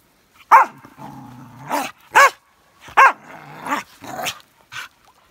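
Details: On a beach, Elsa the Norwegian Elkhound plays with sticks, giving four short, ringing barks about every second, linked by a steady low growl, with a faint higher whine near the end.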